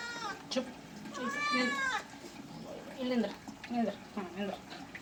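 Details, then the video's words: Cat being washed gives one arched, rising-then-falling meow near the start, followed by low murmured human speech and small splashy sounds. "Cat bathing videos"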